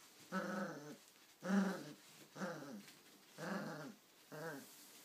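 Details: Irish Terrier puppy growling while playing tug of war during training indoors: five rough, harmonic growls, each about half a second long, coming roughly once a second with short quiet gaps between.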